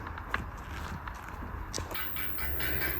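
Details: Low rumbling background noise with scattered clicks and footsteps, and no animal voice anywhere. A steady hiss rises toward the end.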